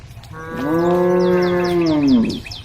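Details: In a forest, one of a group of grazing female cows (Bos taurus) gives one long, steady moo that sags at the end, with faint bird chirps behind.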